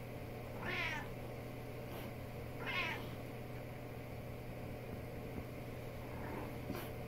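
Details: Mittens, a female house cat chatting with her owner, gives two clear wavering meows about two seconds apart, then a fainter third, over a steady low hum.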